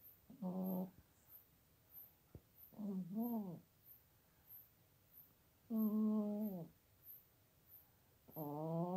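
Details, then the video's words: Sleeping pet cat America, almost 17 years old, Toowoomba, Queensland, snoring in her bed basket, sound not amplified or edited: repeated humming, nasal snores, one split into two short pulses, then a long drawn one and another starting; light high ticking throughout. "Cat Snores Like a Trooper!"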